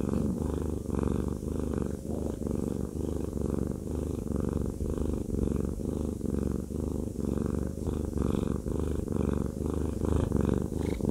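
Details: Fluffy cat Haku purrs through a massage, a lover boy who loves being rubbed; deep, even rumble swelling and fading with his breathing in a quiet room.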